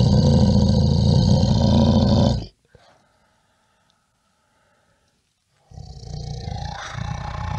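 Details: A brown bear gives deep, rumbling growls, with a pause of silence between two rough bursts.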